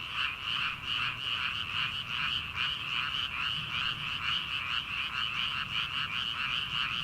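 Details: Frogs calling from rice paddies in early summer, before rice planting, at night: a dense, continuous chorus of rapid pulsed croaks, many callers overlapping in steady waves with no pauses.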